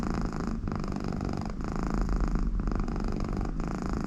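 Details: A very contented American Shorthair cat purring loudly with its owner beside it, also making snore-like sounds through its nose. The purr is a continuous low rumble, with brief pauses about once a second as it breathes.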